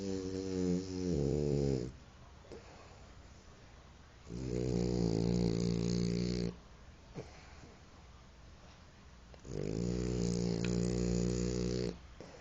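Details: French Bulldog snoring indoors: three long, droning snore breaths of about two seconds each, low and rumbling with a rich stack of harmonics, separated by quiet pauses of roughly two seconds.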